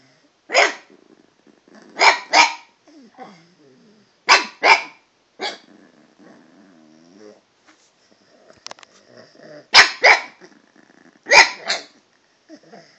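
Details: Chatty pet dog Toby addresses the cat with paired barks recurring every second or two across thirteen seconds, mixed with low rumbling growls and soft whimpers between bursts.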